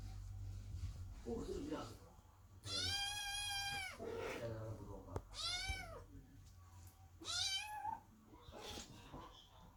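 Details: Kittens meowing loudly under the door while their mother cat Chloe gives birth, anxious and waiting for new siblings; three long, drawn-out harmonic meows, rising then falling, with a low hum and faint voices between them.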